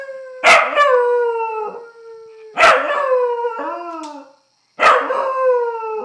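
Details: Pet dog howling at a phone: three long howls, each starting with a loud harsh onset and sliding gently downward in a steady tone, separated by short pauses about two seconds apart.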